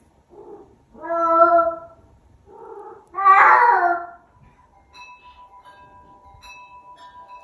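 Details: Vocal Bengal cat making weird sounds: three drawn-out, wavering meows, the middle one rougher and louder, followed by a faint steady ringing tone in the background.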